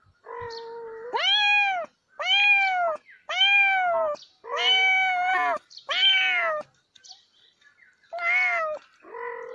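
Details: Domestic cat meowing loudly and clearly, six drawn-out, tonal meows, each rising then falling, spaced about a second apart, ending with a shorter, higher meow in a quiet setting.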